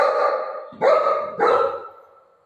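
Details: Golden retriever at play with its mother: two sharp, loud barks less than a second apart over a steady held tone in the background, fading out afterwards.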